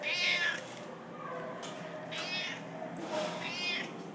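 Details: Siamese cats needing rescue in Mesquite: a clear, harmonic meow opens, followed by fainter, shorter mews about every one and a half seconds over low background hiss.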